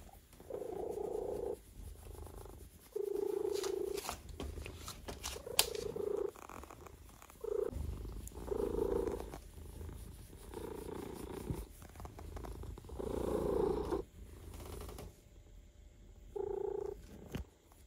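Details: A relaxed male cat purrs while being massaged. The purring comes in steady pulsing phases of one to two seconds, with brief quiet gaps between them. Soft rubbing and handling noises are heard throughout.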